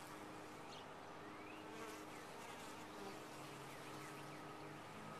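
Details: Honey bees in a top-bar hive give off a steady, dense hum with faint tonal bands underneath, unbroken for the whole stretch, with a few soft chirping sweeps high above.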